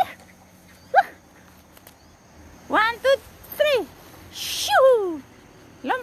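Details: Dog giving short, high, harmonic yelps that arch up and then slide downward. One comes near the first second, a quick cluster follows around three to four seconds, a longer falling whine comes near five seconds and a last yelp at the end.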